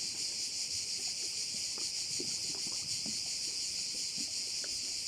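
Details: Crickets at a bay in Korčula: a dense, steady, high-pitched buzzing chorus with fine rapid pulsing, unbroken across the whole stretch, with a few faint low knocks and splashes beneath.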